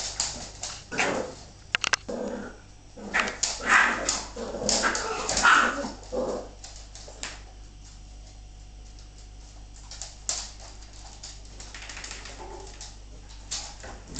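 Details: A female Bull Terrier play-fights with her pups, giving scattered yips, whimpers and rough growls in irregular bursts; she is bitten on the face and retaliates.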